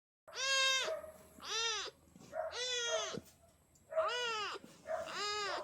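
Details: A little gray kitten asking for love gives five loud, harmonic-rich meows in quick succession. Each one arches up and then falls, with short gaps between calls and a quiet background.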